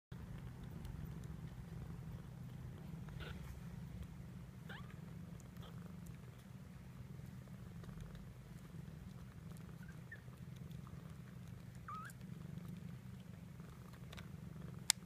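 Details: Domestic cat purring while her two-week-old kittens nurse almost constantly; a soft, steady, low rumbling purr runs unbroken throughout, with a few faint clicks and rustles of movement above it.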